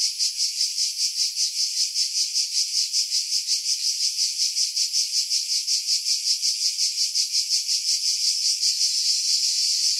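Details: Chorus of cicadas in coastal pines at Pefkos Bay on Skiros, Greece, July 2018, wind buffeting edited out: continuous shrill rasping drone with rhythmic pulses near three per second, swelling slightly and smoothing toward the end.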